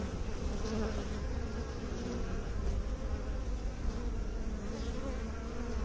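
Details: Bees, kept by beekeepers, making a dense, steady low hum with layered droning tones that waver slightly in pitch, continuous and unbroken throughout.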